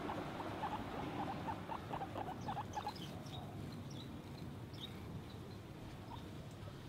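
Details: Guinea pig giving a quick run of short, high squeaky chirps over the first three seconds, then a few scattered faint squeaks, with soft rustling and low background hum.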